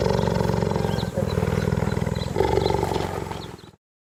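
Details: Cheetah producing a deep, continuous, rapidly pulsing purr-like rumble for nearly four seconds, with a brief break midway, before falling silent.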